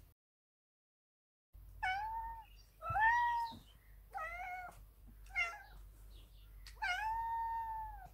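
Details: Pistache, a big male Ragdoll cat, demanding his daily cuddles indoors: five loud harmonic meows, each starting high then sliding down and holding, the last one long and drawn out, after a brief silent opening.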